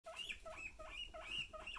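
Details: Pet guinea pigs in their pig room, a group that goes wild at the crinkle of a plastic bag, give loud, high squealing wheeks, short rising-and-falling notes repeated about every half second in a steady excited chorus.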